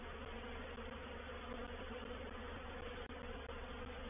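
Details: Reproductive swarm of honey bees moving into a bait hive (swarm trap) at Painted Peacock Manor, 04/07/21; a dense, unbroken buzzing hum of many bees with steady low droning bands and no pauses.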